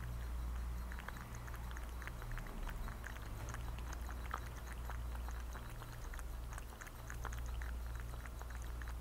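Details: A thirsty cat laps water: quick, light ticking clicks repeat steadily throughout, set against a continuous deep background hum with no other voices.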